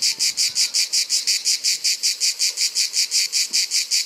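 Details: Grey cicada, the Provençal cicada, in summer: loud, harsh buzzy pulses repeated steadily about five times per second. Each burst is a dense high rasp, and the rhythm stays even throughout.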